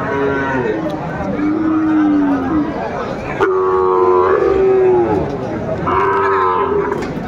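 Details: Moos at a crowded Aftabganj market in Dinajpur, Bangladesh, where Sahiwal bulls are sold on 28 January 2025: three long, level lowing calls of about a second each, with human voices and market bustle around them.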